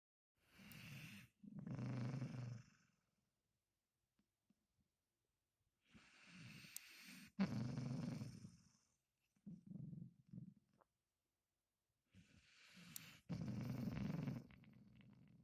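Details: A sleeping Bull Terrier snores, barks and seems to laugh in its sleep. Four bouts of rough, low, snorting growls, each lasting one to two seconds, are broken by near-silent pauses, with a few soft muffled breaths between them.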